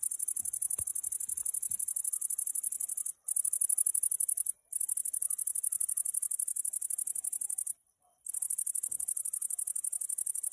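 A grasshopper sings a high, dry, rapidly pulsing buzz that runs almost continuously with a few brief pauses.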